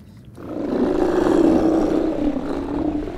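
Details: Steller sea lion being freed from entanglement by Vancouver Aquarium Marine Mammal Rescue Centre and Fisheries and Oceans Canada staff in Fanny Bay, Vancouver Island, Canada, March 2014; one sustained low, rough roar with steady pulsing buzz.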